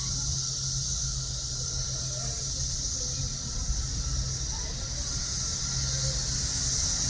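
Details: Summer cicada chorus from Chicago's south suburbs: a continuous shrill, hissing buzz that holds steady throughout, with a low droning hum underneath.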